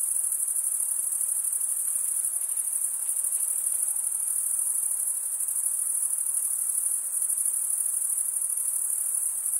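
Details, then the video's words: A chorus of male crickets chirping through stridulation keeps up a bright, unbroken high trill, evenly loud and finely pulsed, over a faint wash of lower noise. "Most relaxing cricket sound for 8 hours"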